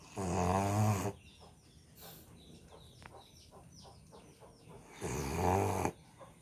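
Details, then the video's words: Deep, buzzing snores from an American Bully asleep: one long rattling breath at the start and another near the end, separated by a quiet stretch with faint high chirps in the background. "SNORING AMERICAN BULLY | SLEEPING BULLY"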